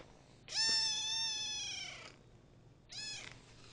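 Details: Kitten ten days after adoption, domestic cat: a long, high harmonic-rich meow of about one and a half seconds, then a shorter second meow after a pause; quiet room otherwise.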